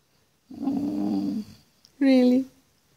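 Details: Penny, a chatty puppy known for constantly talking, makes a sustained low grumbling howl, then after a pause a second brief, rounder vocal note, in a quiet indoor room.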